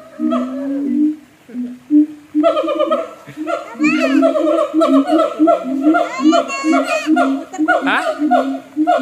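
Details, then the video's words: Siamang calling in a zoo in North Lombok, low booming notes with stacked rising barks that turn into rapid, excited trills and shrieks, mixed with faint human voices. "SUARA UNIK SIAMANG"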